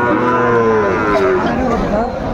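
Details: Amid buyers and sellers at a Pabna cattle market on 30 June 2024, a Sahiwal bull calf gives a rich, gently falling moo followed by a shorter call, over a crowd hum.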